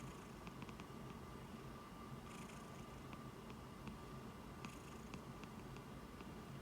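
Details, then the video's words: Cat asleep on a person's hand, snoring and purring, 20 July 2021; an even low rumble throughout, with small ticking sounds and soft rustles now and then. "诞蛋打呼噜 把手当枕头 Snoring cat sleeping on my palm"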